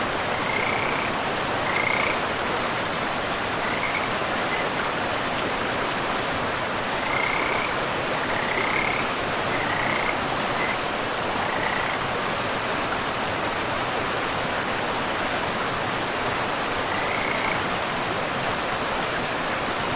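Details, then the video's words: Frogs near a forest river give scattered high trilled calls every few seconds, with gaps between them, against the unbroken wash of the river. "River and Frogs sleep sounds"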